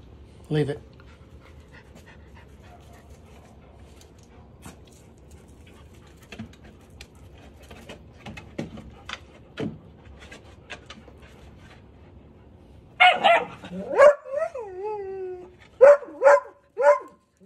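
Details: Deutsch Drahthaar puppy named Gustl, third week of bench training with very little talking; quiet clicks and taps, then near the end a burst of short, high whining yelps with falling pitch, repeated several times.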